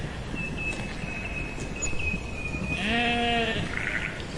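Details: A steady thin high tone runs through the first half, then a single wavering sheep baa lasting under a second, over low background rumble.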